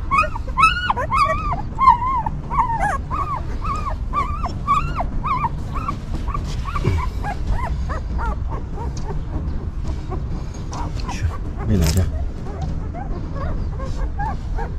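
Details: Puppies of a stray mother dog whimper in a burst of quick, bending squeals that thin out after a few seconds into sparse, fainter whines, with occasional soft clicks and shuffling.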